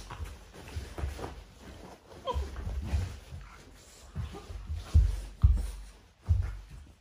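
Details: Cane Corso puppies in a morning sparring routine, indoors: low rumbling growls in irregular bursts, a brief high whine midway, and sharp thumps and grunts near the end.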